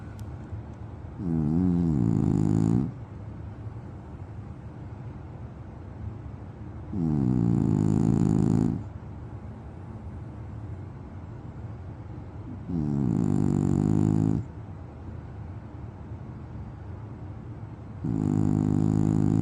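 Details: French Bulldog asleep and snoring steadily: four drawn-out, buzzy rasping snores roughly every five to six seconds, each about one and a half seconds long, with soft breaths between.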